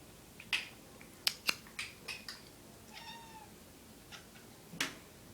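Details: A domestic cat making cute noises while chasing a laser pointer alongside another cat; a single soft, brief chirping meow mid-clip among sharp taps and clicks of paws and movement.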